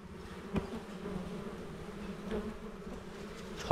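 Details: Honey bees at a small hive as honey is taken from it: a steady low droning hum with a second fainter band above it, and a few sharp knocks and handling clicks.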